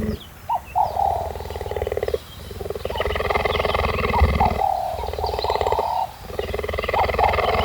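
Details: Cheetah in Namibia, fed donkey meat daily, purring close up: a steady, rapid, throbbing rumble of about four pulses a second, broken by short pauses, with brief higher chirp-like notes above and faint background hiss.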